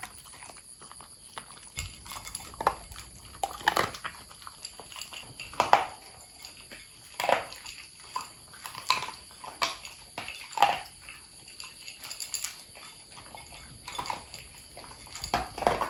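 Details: Domestic long-haired Corgis eating dog food with freeze-dried egg yolk and mussel toppings; sharp crunches spaced a second or two apart, each a short bright snap, with quiet pauses between bites.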